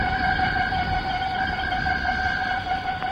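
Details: Cicada chorus in the Malaysian rainforest, recorded in the late 1950s to early 1960s. Males chorus at dawn or sunset, striking up one by one. Steady, droning layered tones hold throughout with dense low background hiss.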